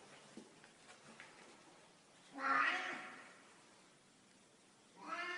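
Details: Black cat meowing in a stairwell indoors: one loud drawn-out meow in the middle, rising then fading, followed by the start of a second meow at the end, with faint quiet sounds before it.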